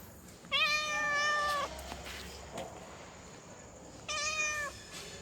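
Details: Female domestic cat in heat calling for a male: two long drawn-out harmonic meows, the first over a second long and level before dropping slightly, the second shorter, over a faint steady hiss.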